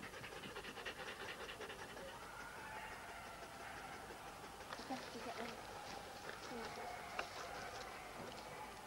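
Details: Sled dogs, huskies, at a race weekend in the Forest of Dean in November 2001, on an old VHS recording: continuous quick panting mixed with people talking in the background and a few brief higher whine-like notes.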